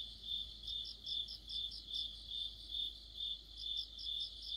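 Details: An autumn insect orchestra led by crickets, with bright, evenly spaced chirps repeating a little over twice a second in a clear, continuous rhythm.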